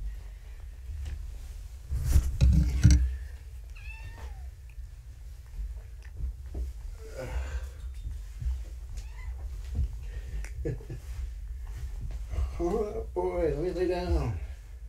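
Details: Four young kittens, found abandoned in a box beside a road and taken to a shelter, settling for an afternoon nap indoors beside a man; wavering, rising meows near four seconds and a burst at thirteen, over low rumbling and soft speech.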